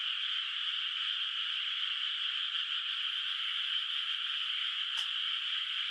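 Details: Frogs in a moonlit countryside rice field, still unplanted, keep up a continuous high trilling chorus at night; a single sharp click cuts through near the end.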